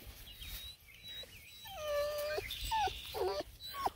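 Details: Bluetick Coonhound puppies reacting as someone sneaks up on them without talking, at a breeder's in Ontario, Canada; several short whining whimpers and yips, some sliding down in pitch, with a person's voice nearby.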